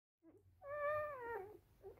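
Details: Rough Collie puppies from the "S" litter at a kennel in Vienna, Austria: a single thin, drawn-out whine that holds steady and then sags slightly in pitch, with softer squeaks just before and after.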